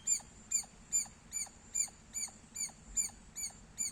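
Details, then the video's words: Squirrel giving loud chirps: nine sharp, high, ringing notes, each with a short downward flick, spaced about half a second apart over a quiet background. "Loud Squirrel Sounds -squirrel chirping Sounds Loud"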